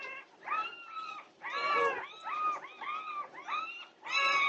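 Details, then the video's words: Norwegian Buhund puppies at 2:30 am on June 8, 2021, in a night-time commotion: long, drawn-out harmonic whines, some steady and some arching, in about five separate bursts with short gaps. "Puppy Pandemonium at 2:30am! Norwegian Buhund Puppies"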